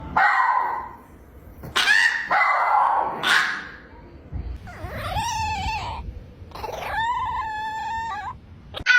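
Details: Dogs making strange howling noises that sound like trying to contact space: bursts of bright, noisy yelping, then long wavering, siren-like howls that bend up and down, separated by short pauses.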